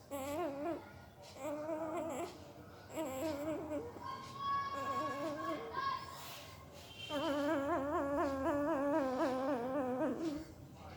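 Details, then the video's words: Sleeping puppy making weird noises with its mouth indoors: a series of wavering, whiny, voice-like tones in short bursts, then a longer quavering, wobbling whine near the end in a quiet small room. "Puppy Sound while Sleeping II Puppy Making Weird Noise with Mouth II सोते समय Puppy की आवाज"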